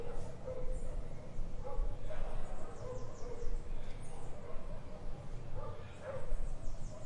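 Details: Distant dog in an urban garden in Brazil giving separate barks every couple of seconds, partly masked by traffic rumble, with light bird calls above.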